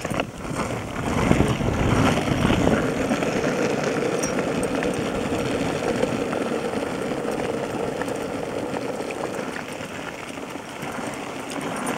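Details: A steady rumbling roar of skateboard wheels rolling over pavement fills the whole stretch, with no animal voice heard.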